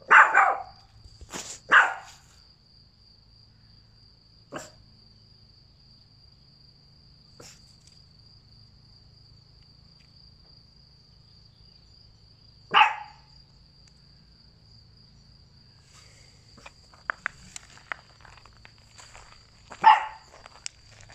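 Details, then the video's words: Boston Terrier puppy being taught to speak on command; sharp single barks come at the start, again about eleven seconds later and once more near the end, separated by long quiet gaps with faint clicks and a constant high whine. "Learns How To Speak / Bark"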